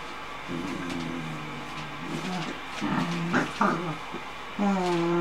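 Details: Small Cocker Spaniel puppies playing with a bigger puppy whine and yip in high, wavering tones, with brief yelps between.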